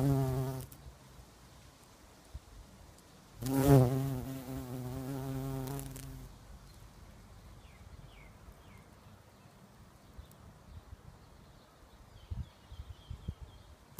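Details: A very large bumblebee buzzing around agapanthus flowers beside a path: a low, droning wingbeat buzz that swells and fades as it flies close past.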